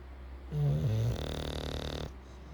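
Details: English bulldog. An English bulldog gives a deep, rattling snore, starting with a gravelly low rumble that settles into a steady buzzing drone. The breath fades out after about one and a half seconds, leaving quiet room noise.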